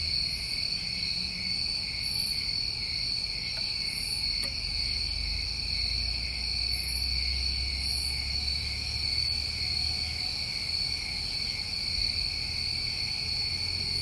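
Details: A New England summertime night chorus of crickets: steady shrill trilling, occasional higher bursts, and a low rumbling hum in the background for a few seconds.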